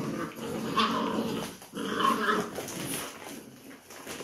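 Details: Labrador Retriever puppies play-fighting in a group over new enrichment toys indoors; short rough growls and a tonal whining yelp in two bursts about a second apart, with scuffling and clicking noises between.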